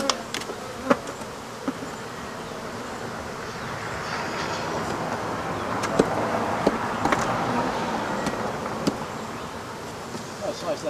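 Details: African honey bees swarm as the rest of their hive is removed from behind a wall: a dense, steady droning hum, broken by sharp knocks and taps of the removal work and brief human voices.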